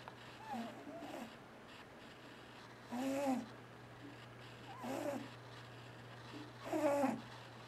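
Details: Sleeping pet cat snoring loudly indoors while dreaming: four rough, throaty breaths with a buzzy, slightly tonal quality, roughly every two seconds, separated by quiet gaps, against a constant low hum.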